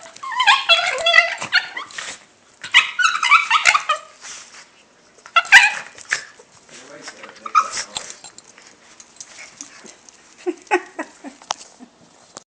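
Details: Pet dog making weird noises indoors: several loud bursts of rough, wavering whines and yelping moans, fading into softer grumbling whimpers toward the end.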